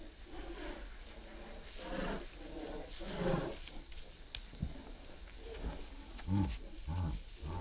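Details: Bull Terrier indoors producing a run of grumbling, growl-like moans with clear harmonics, some deeper and louder toward the end, plus a few short sharp clicks and low room hum.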